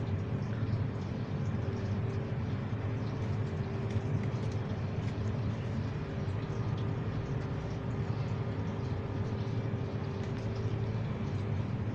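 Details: A steady low rumble like a passing vehicle fills the whole recording, with faint hum tones and no animal voice.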